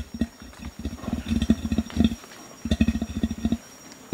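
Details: Male Bornean orangutan giving warning threat calls aimed at gibbons: a run of low, deep grunts in quick irregular bursts, pausing briefly near the middle before another burst of short grunts resumes.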